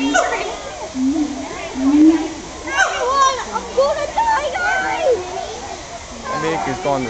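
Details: Siamangs at Woodland Park Zoo in Washington calling in a long bout: hooting tonal notes swelling and rising in pitch, some sliding upward in quick whoops, over steady crowd chatter and children's voices.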